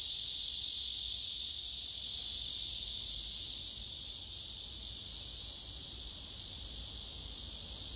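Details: Cicadas on a tree, where a singing male raises its abdomen and spreads its wings. An intense, unbroken, high-pitched buzz drops somewhat in loudness after about four seconds, then carries on steadily.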